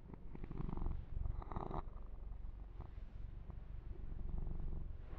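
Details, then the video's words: Indoor male kitten during a massage, purring in a continuous deep throb with fast regular pulses, overlaid early on by short scratchy bursts of fur being rubbed and groomed. "ASMR 1 Hour Kitten Massage - Perfect Sleep Helper Ear to Ear Purring"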